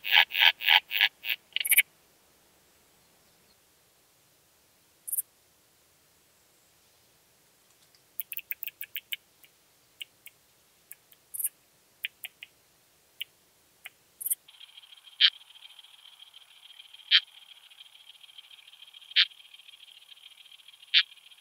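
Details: Phaneroptera falcata, the common sickle bush-cricket, recorded in Scheyern, Germany, 1 October 2020, through an ultrasound detector: an opening burst of quick clicks, sparse dry ticks, then a few isolated sharp clicks over a steady high hiss.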